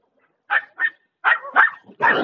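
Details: German Shepherd called Bear lets out a quick run of five clipped barks, the last one harsher and longer, in a quiet setting.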